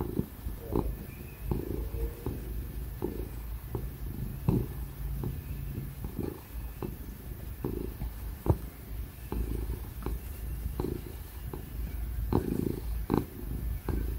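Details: Ginger house cat purring while getting pats and cuddles, content and relaxed; deep continuous rumble pulsing with each breath, scattered soft clicks, steady computer fan noise in the background.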